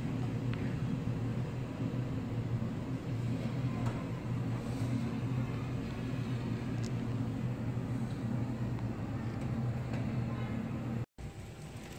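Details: Steady low droning hum like an idling vehicle or engine, with a brief dropout near the end and no animal voice.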